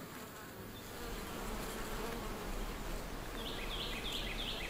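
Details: Feral European honey bees, growing agitated near the entrance of their wild riverside hive; a steady low buzz swells after the first second and stays dense, with a few high chirping bird notes near the end.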